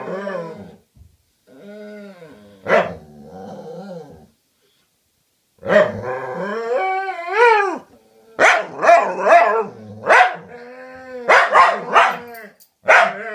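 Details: Dogs talking to each other: grumbling whines and yowls in short bursts, a pause, then louder rising-and-falling yodelling howls mixed with sharp barks.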